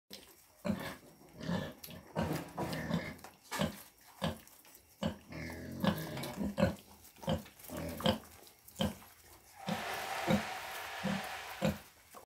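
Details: Newborn piglets just after birth. Short low grunts and squeaky snorts come in uneven bursts about every half second to second. A rustling hiss rises near the end.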